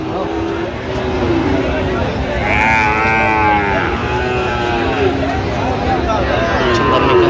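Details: Sahiwal bull calves at a busy cattle market in Gaibandha, Bangladesh, 17 November 2025: drawn-out, harmonic moos overlap from several animals, rising and falling, while men bargain and talk close by amid steady crowd hubbub.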